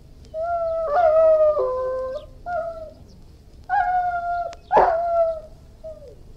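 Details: Irish Wolfhound mixing wavering howls and whines with pitch breaks, plus an abrupt harsh bark-like burst near the end, followed by a brief falling whine.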